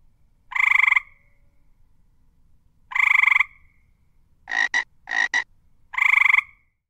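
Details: Frog croaks: broad, rasping notes, two early ones two seconds apart, then a pair of short clipped double bursts and a final drawn croak, with near silence between calls.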